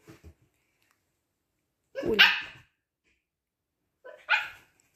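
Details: Siberian Husky puppy pestering an older husky indoors all morning; two loud, harsh barks with rising then falling pitch about two seconds apart, preceded by soft short yips.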